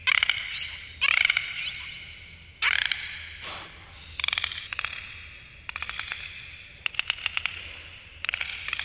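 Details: Recorded beneath the water, dolphins make upward-sweeping squeals and creaky pulsed buzzes, followed by several crisp click trains in rapid succession.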